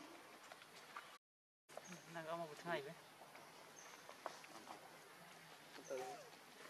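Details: Baby monkey Leo crying to its mother, begging for milk while hungry; short wavering, harmonic whimpers rise and fall in two bursts, with a further cry near the end, over steady insect hiss and rustling background.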